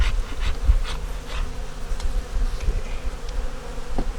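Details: A winter honey bee nuc with a yellow queen, eggs and brood, opened for inspection. The colony gives a continuous low droning hum with faint rustling taps over it.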